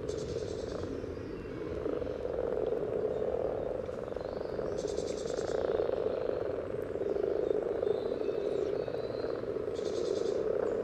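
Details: At a frog spawning pond in Sunnersta, Uppsala, many common frogs give courtship calls, recorded by parabola near the water surface: an unbroken murmur of low croaks swelling and fading, with three short high buzzy bursts spaced apart.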